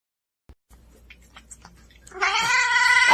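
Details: Cat giving one loud, drawn-out yowling meow that starts after about two seconds of faint scattered taps and clicks, holding a steady, strongly nasal tone for over a second before cutting off abruptly.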